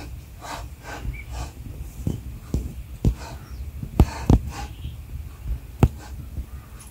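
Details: Newborn cheetah cubs, a litter of five born to mother Philipina and including a rare King Cheetah, their eyes just opening and growing more vocal: scattered breathy hisses and sharp clicks over a low rumbling background.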